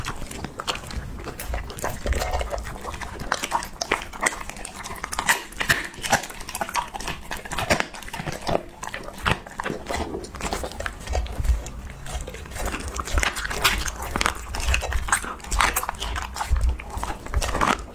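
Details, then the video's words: Husky chewing through raw mixed meat parts, steady crunching and tearing bites with wet smacking and occasional grunting breaths, clustered heavily in the last few seconds, indoors. "ASMR Husky Reviewing Raw Mix Meat Parts!-Eating Dog-Asmr"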